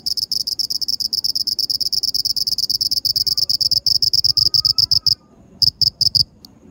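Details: Black cricket giving a fast series of high, pulsed chirps that run steadily for about five seconds, stop, then resume with a few final chirps.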